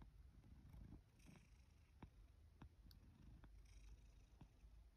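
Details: Sacchan, a male rescue cat kept in Higashiōmi, Shiga, Japan, in autumn 2023, on a sleepy morning; a faint, steady low purr with scattered sharp clicks and light rustling.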